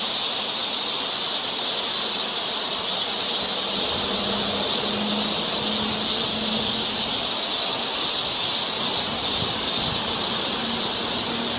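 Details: Forest trail in Seoul, Korea, in summer, filled with a steady shrill cicada chorus, a constant high buzzing hiss, with a faint wavering low hum in the background.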